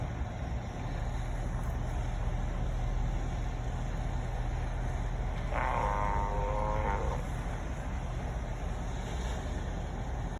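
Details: A group of sea lions: one gives a hoarse, drawn-out call over a steady roar of low rumbling background noise.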